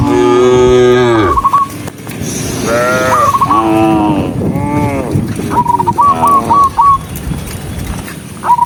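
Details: A herd of dozens of tame cattle walking on foot moo in deep, drawn-out calls, with short whistled notes cutting in between.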